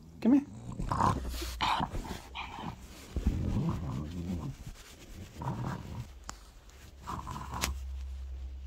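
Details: A French Bulldog leaning into rubs and strokes makes low growly grunts and snorts in uneven bursts, mixed with a person speaking to him in a small room.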